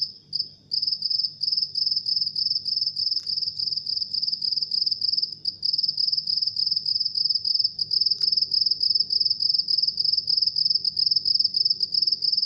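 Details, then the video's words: A house cricket chirps nonstop in a high, piercing trill of quick pulses, about 207 per minute, with a couple of brief dips near the start and faint clicks later. "House Cricket Chirping"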